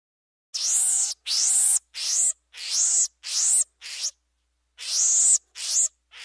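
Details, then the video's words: Monkey giving loud, shrill, high-pitched screeches, each about half a second long with a rising-then-falling shape, delivered in a fast uneven series with a short break midway. "Monkey Sound"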